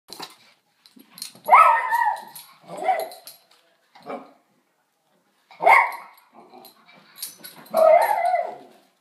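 Short, sharp barks from a Miniature Schnauzer come in quick, uneven bursts with pauses between them. The barks are mid-pitched and yappy, some with a rough, growly edge, and they sound very excited.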